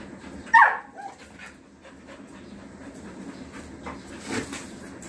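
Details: Playing female Rottweiler gives one quick, high whine that slides downward in pitch near the start, then soft panting and light scuffling noises continue in the background.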